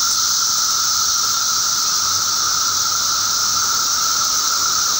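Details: Periodical cicada (Magicicada) mass emergence on May 19, 2011, heard as a steady, pulsing drone of many insects with a constant mid tone and strong high hiss, a faint low rumble underneath.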